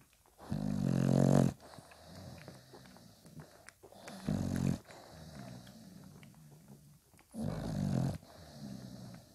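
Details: Five-day-old Bulldog puppies beside mother Spikkels produce three long, low, buzzing grunts, the first the loudest, with faint squeaks and soft rustling between them.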